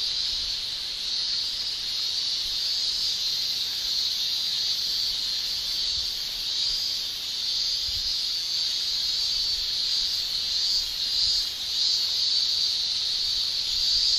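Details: Japanese cicadas singing in summer in Japan, males producing tymbal song: a continuous high shrill band, steady with slight swells in loudness, forming a dense chorus of many insects.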